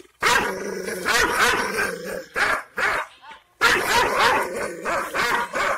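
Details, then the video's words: Kangal shepherd dog of the Aksaray Malaklı type, described as wild, fierce and angry, barking aggressively: loud, harsh, rough-toned barks in long dense bursts, with a short gap of near silence midway. "Aksaray malaklisi Kangal çoban köpeği Anadolu aslanı vahşi hırçın kızgın köpek havlaması urmesi sesi"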